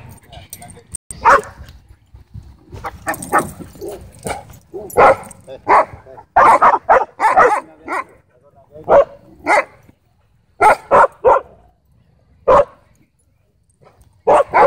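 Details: Wolfdog at a dog park threatening a man: sharp, loud barks come in irregular bursts, some doubled or tripled in quick succession with short gaps between, over people talking nearby.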